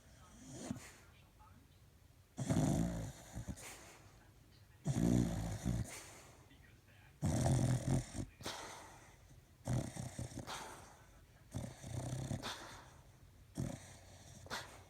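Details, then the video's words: Sleeping pet dog snoring while apparently dreaming, recorded December 11, 2015: loud, low, rasping snores in bursts roughly every two to three seconds, each about a second long, separated by quieter breathing. "Snoring Dog"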